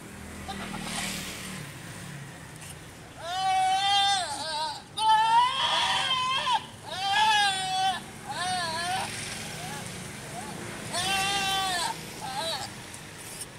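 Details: Goat during breeding, giving loud quavering bleats with a strong tremble, in bursts of one to two seconds separated by short pauses; faint engine rumble and distant voices at the start.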